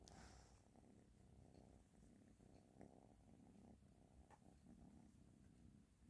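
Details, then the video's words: Ashley the cat purring quietly beneath a steady hiss, the rumble pulsing in even breaths with a few faint clicks. "Ashley Is Purring"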